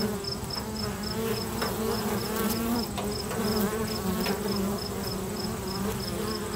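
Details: Swarm of busy bees at a local bee box, giving a continuous low wavering drone with layered overtones, several brief crackles, and a thin high pulsed beeping repeated at a regular pace in the background.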